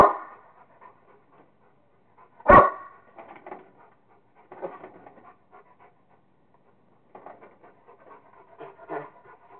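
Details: Kingston, a Rottweiler, having fun playing with a squirrel: one sharp, loud bark near the start, followed by scattered bursts of huffing and panting breaths at irregular intervals.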